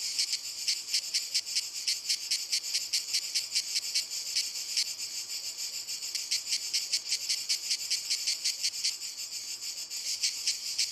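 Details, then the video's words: Cicadas singing in walnut trees: rapid rhythmic high buzzing pulses, about two or three per second, forming a shrill continuous rattle with slight swells and dips. "Il Canto della Cicala - Albero Di Noce"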